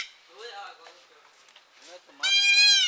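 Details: Mother goat with four kids: a loud, harmonic bleat with a wavering tone near the end, preceded by softer speech-like and bleating sounds.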